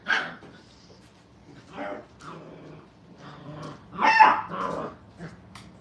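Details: Five-week-old puppies playing and having fun at Hilltop Dog Puppy Training Kennel: short, scattered yelps and rough little barks in uneven bursts, the loudest cluster about four seconds in, with quiet gaps between.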